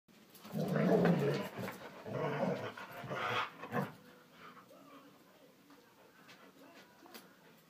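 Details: Norwegian Elkhound named Gunnar, a pet dog worked up after his walk, giving loud grumbling, growly vocal bursts over the first four seconds that fade into quieter panting and snuffling noises.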